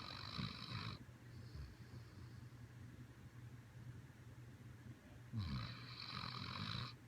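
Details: Siberian Husky snoring while asleep: low rumbling breaths with a raspy, hissing inhale at the start and near the end, and a steady low hum throughout.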